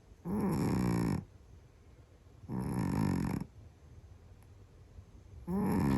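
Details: Sleeping Scottish Fold cat snoring very loudly. Deep, rasping snores with a throaty rattle arrive about every two and a half seconds, three in all, with quiet breathing between.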